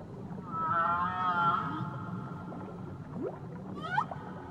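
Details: Whale song recorded near Tahiti: a drawn-out harmonic moan held for about a second, then sweeping upward rising and falling calls near the end, over a low steady underwater rumble.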